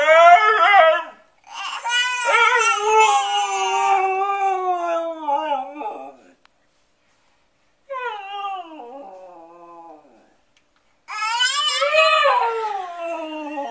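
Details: Siberian Husky howling along with a crying baby in a small indoor room. The husky imitates the baby. Long, wavering, harmonic howls rise and fall in bursts, separated by a silent gap, with infant cries mixed in and brief speech.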